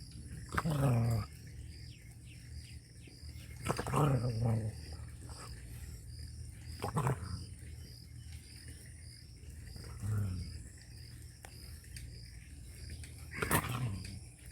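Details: An angry dog in a Pakistani Punjab village gives deep, rough, throaty barks, single or doubled, at intervals of about three seconds, over a steady background hum.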